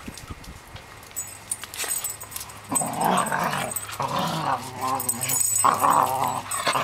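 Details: Two Cocker Spaniels bicker and tussle, giving rasping growls and snarls in uneven, overlapping bursts that grow louder in the second half, with a steady low hum beneath throughout.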